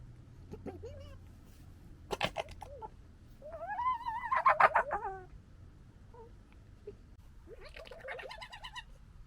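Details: A local European red fox (Vulpes vulpes) family gekkers in fighting and disagreement, with wavering, whining cries broken by sharp, stuttering chatter.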